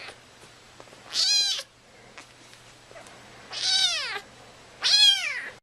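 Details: Kitten meows from a cat compilation: three thin, high, downward-curving mews, each under a second long, spaced about two seconds apart over a low steady hum.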